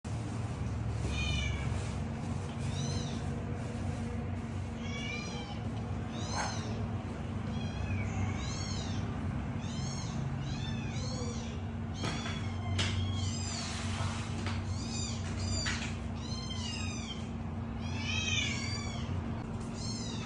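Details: Three kittens calling for milk: a busy stream of high, arched mews, often overlapping and repeated every second or so, over a steady low hum.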